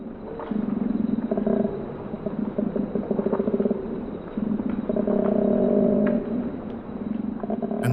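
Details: A male koala (Phascolarctos cinereus) bellows through the trees in mating season, a deep guttural series of snoring inhales and belching, rumbling exhales, announcing his presence and claiming territory.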